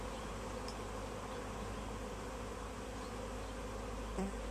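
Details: Tree-hanging honey bee swarm being bagged and retrieved: an even, dense wing-buzz drone, with a faint short chirp near the end.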